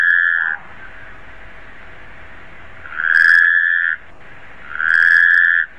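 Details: Taipei tree frog calls: the end of one note, a two-second pause, then two loud, flat, tonal notes about a second long with a short gap between them, over soft background hiss.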